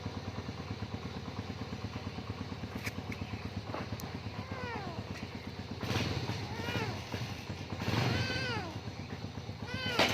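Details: A frightened kitty, afraid of a nearby motorbike, utters several short arched meows, partly masked, over a constant pulsing engine idle; clicks and a rising rev of the bike are also heard.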